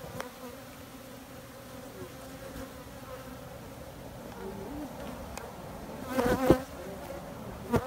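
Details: Honey bees buzzing in a low, steady drone with a faint hum line and its overtone, growing louder with a brief burst near the end and a few sharp clicks.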